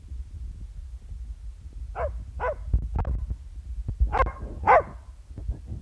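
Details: Border Terrier barking in a friendly way at the camera, August 2015; a series of short sharp barks, about six over four seconds, with low rumbling handling noise underneath.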